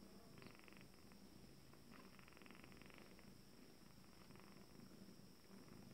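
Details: Quiet, continuous low purr from an Abyssinian cat, first litter, 26 days, after calm returned. The rumble is steady, with brief raspy bursts of higher texture at intervals over a constant background hiss.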